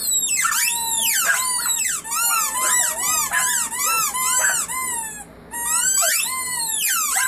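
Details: A family of puppies howling together: several high, wavering voices overlap in sliding, rising-and-falling howls, nearly continuous, with a brief lull around the five-second mark before the chorus resumes.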